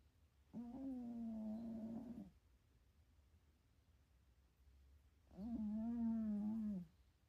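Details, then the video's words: Domestic cat snoring while napping indoors at home, sleepy and dreaming: two drawn-out, nasal, tonal snores, each about one and a half seconds long, with a quiet pause of about three seconds between breaths. "Snoring cat napping at home"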